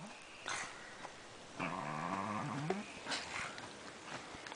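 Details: Talking Pekingese pet dog giving a low, drawn-out moaning growl with a wavering, whine-like tone, soft and close, with quiet room noise and a person's voice faintly behind.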